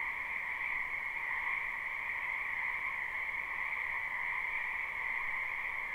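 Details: A chorus of many frogs in a spring wetland behind a house, recorded live: constant overlapping croaks blend into a smooth, droning trill at two pitches, unchanging in loudness across the whole stretch.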